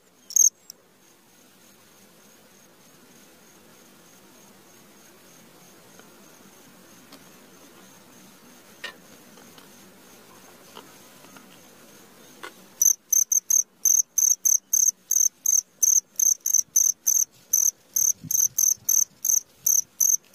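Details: Cricket at midnight: after a long near-silent stretch with only a faint high whine, loud, shrill, high-pitched chirps start and repeat about three times a second in short even pulses.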